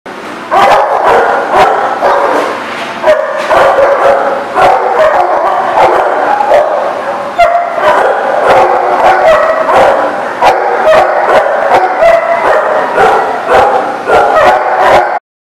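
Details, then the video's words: Dog barking, recorded 28 September 2018: sharp, loud, close barks and yips repeated roughly every half second without pause for about fifteen seconds, some overlapping, with no other clear sounds. "The Barking Lot"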